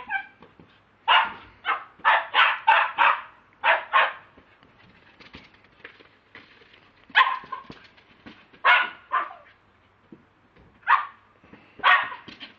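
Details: Lakeland Terrier, a pet dog, recorded on a mobile phone, barking: a fast run of about six sharp barks, then a pair, followed by single barks spaced a second or two apart, with a brief high tonal note at the start.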